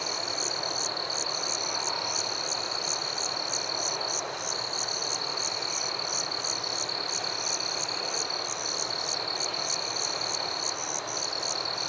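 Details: Forest crickets at night: a constant high ringing trill layered with quick, evenly spaced higher chirps, about two to three per second, above a gentle background hiss.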